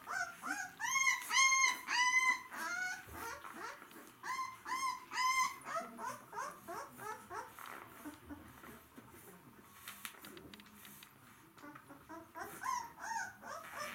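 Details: Several White Swiss Shepherd dogs, described as hungry, whining indoors: high, arching harmonic whines in quick bursts of several calls, loudest early on, then softer overlapping whimpers with a little rustling throughout.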